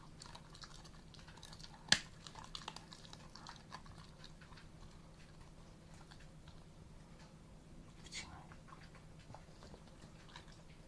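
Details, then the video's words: Theo, an Alaskan Malamute, crunches duck bones indoors with no aggression while eating; soft gnawing and scattered crackles, one sharp loud crack near the start, over a low steady hum. "Alaskan Malamute i kości z kaczki"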